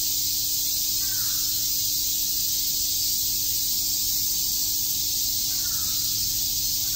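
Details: Summer cicada chorus at Shakujii Park in Tokyo, a continuous shrill buzzing wash with no pauses, while two faint, distant caws sound about four seconds apart.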